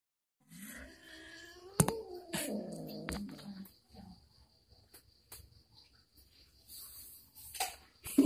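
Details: Moa, a pet domestic cat, faced with an uninvited guest, gives a long drawn-out wavering yowl lasting about two and a half seconds. Scattered knocks and clicks follow, then a quiet stretch, with faint sounds near the end.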